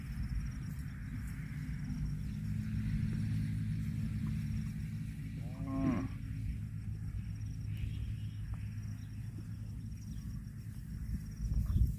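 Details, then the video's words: Grazing cow lets out a brief, fairly soft moo, a short harmonic note near the middle, set against a constant low droning hum and light outdoor noise. "COW SOUND EATING GRASS COMPILATION - COW MOOING- CON BO"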